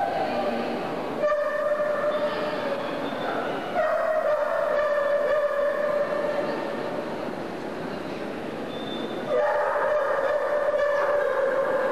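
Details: Steady droning tones and mechanical rumble like a passing train or loud machinery, with faint background voices and no animal call.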